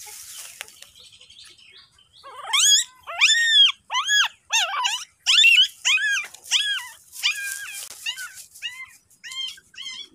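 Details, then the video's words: Dog with newborn puppies carried outside while the mother dog guards them; a run of high, arching squeaky whimpers, each rising then falling, repeated roughly twice a second with short silent gaps and a quiet background. "Bring Puppies to Visit Outside But Mother Dog Want to Bite Come Back//Puppies Newborn"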